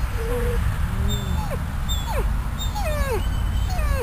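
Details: Hospitalised dog, out of the ICU and sitting outside on the grass in the afternoon, uncomfortable and likely hungry, giving thin whimpers: a held note, then several short downward-sliding whines about every half second, over low steady background noise.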